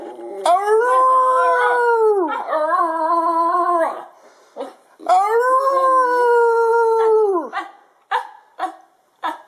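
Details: Harley the Basenji howling: two long sustained howls, each rising into a steady tone and dropping off at the end, followed by a few short yelps.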